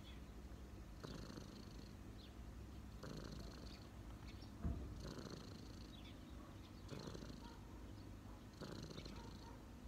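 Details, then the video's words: A street cat relaxing on a person's knees purrs steadily, a low continuous rumble swelling in breathy cycles roughly every two seconds, with one soft knock midway. "cat’s relax on my knees 🐈‍⬛| cat purring"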